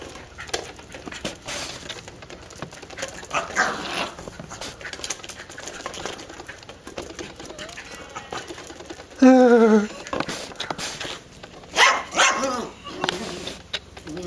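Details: A dog going crazy while playing with a beach ball: scuffling and thumps, then one loud, drawn-out, falling, whining yelp rich in overtones, followed by a couple of shorter yelps, with voices murmuring in the background.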